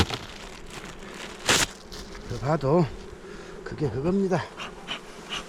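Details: Honey bees kept on Jirisan in South Korea fly close past in two short passes, a low droning buzz swelling and wavering in pitch as each bee nears and leaves, with a sharp knock and faint background rustling.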